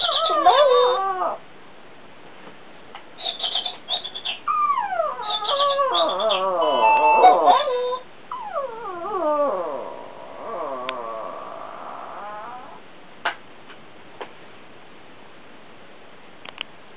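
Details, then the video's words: Pablo, a pet Chihuahua, answers an alarm clock with a run of wailing, yodelling howls and whimpers that rise and fall in pitch, broken by bursts of electronic beeping and then fading to a long whine. "Chihuahua VS alarm clock"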